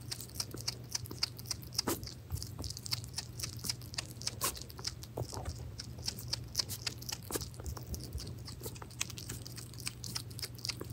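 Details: Pet hedgehog named Pirozhok eating minced meat: dense, irregular wet clicks and crisp smacks of chewing, several per second, with a few louder crunchy bites, over a steady low hum.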